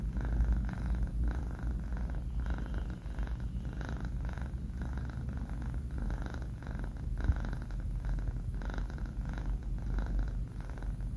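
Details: Sleeping four-month-old male kitten named Banh Mi, snoring with a continuous deep purring rumble, breaths rising and falling roughly every half second in a quiet small room.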